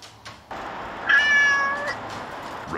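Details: Korean shorthair street cat at a logistics center, blamed for holes in package boxes; one drawn-out tonal meow over background noise, with thuds before and after.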